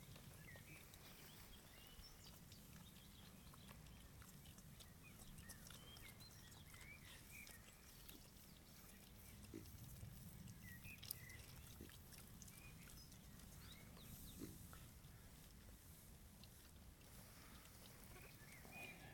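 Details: Traumatised young female wild boar piglet, arrived in care only days ago, accepting a human's stroking for the first time with eyes closed; soft, low, quiet grunting at intervals, small birds chirping faintly in the background.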